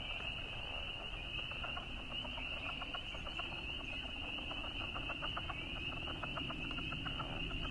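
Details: In a marsh at sunset in mid-March in Alexandria, Virginia, male southern leopard frogs float on the surface and chorus with rapid, guttural clucking pulses, calling for females, while spring peepers give a steady high-pitched trill behind them.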